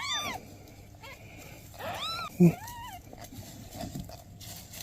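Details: Newborn kittens with their mother cat, who is asking for help: three arched meows in under three seconds, a brief knock between the last two, then faint low murmuring.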